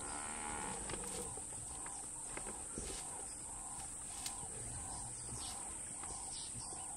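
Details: Cape buffalo bulls clashing head to head in the wild African bush; a series of short, low, moaning grunts repeated steadily about every three-quarters of a second, over a constant high insect hum and faint background sounds.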